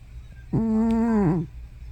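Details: Hana, an elderly pet cat believed to be over 15, asleep indoors and making a loud noise that sounds like snoring or sleep-talking: one steady, harmonic moan of about a second, dipping and wavering at its end, over a low room hum.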